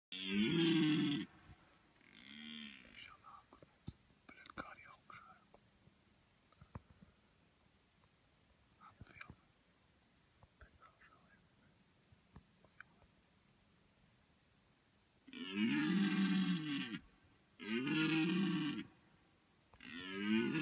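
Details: Deer stag in the middle of a field in Latvia during the mating season, giving loud, deep, harmonic roars. Two short bellows open the recording, then a quiet stretch of faint rustles, then three long roars in quick succession near the end.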